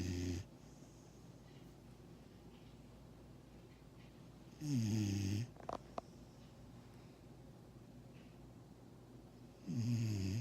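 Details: A 6-month-old Vizsla puppy snores in its sleep with low, rasping breaths that come roughly every five seconds.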